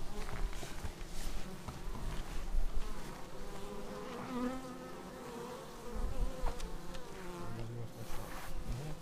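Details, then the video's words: Many bees arriving at the hive, filmed with a Xiaomi Yi camera: a constant low buzzing chorus with individual wingbeat tones rising and falling as insects pass close, and occasional soft clicks. "Bees arriving at hive"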